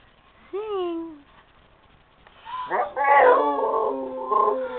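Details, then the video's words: Female Rottweiler singing from the couch: a single arching whine-like note, a pause, then a loud, rough, wavering howl that trails off in uneven sustained tones. "Rottweiler Singing A Song"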